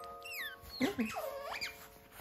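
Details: A captive baby otter, over a month old, wakes to find its mothers gone to the pool and calls for them with a few shrill, squeaky chirps, some sliding down, one dipping then rising, over a faint hum.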